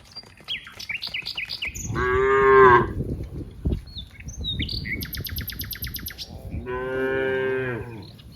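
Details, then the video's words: Herd of cows playing in green rice fields; two drawn-out moos about four seconds apart, with chirping birds and rustling between them. "funny cow sounds, Moo cow sounds"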